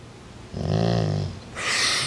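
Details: Part-Rottweiler dog asserting itself over its sibling with a short, deep, harmonic growl under a second long, followed by a burst of hissing noise.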